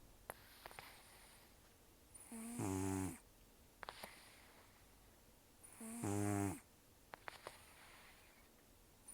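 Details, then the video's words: Heavy snoring from Tarō, a rescued elderly cat taken in October 2024 with few teeth left, asleep indoors: two strong buzzing snores roughly three and a half seconds apart, separated by snuffly nasal breaths and small clicks. "ねこのいびき 猫 いびき"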